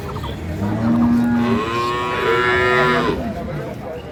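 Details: Dairy cow or calf at Ambari cattle market, Parbatipur, Dinajpur, Bangladesh: a short low flat moo, then a longer louder bellow that rises and holds before dropping away.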